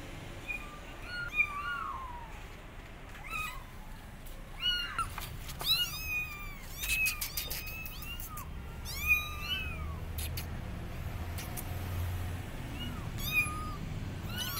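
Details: Abandoned kittens on a gate meowing loudly, calling for their mother cat; high, arched meows around a rising-falling pitch, several callers overlapping in irregular bursts over steady low background rumble.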